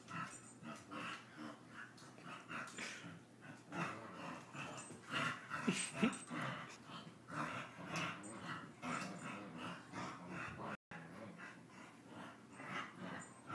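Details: Two brother dogs wrestling in play; steady stream of short growly grunts, snorts and breathy pants, several per second and irregular, with a brief dropout near the end and rustling of movement.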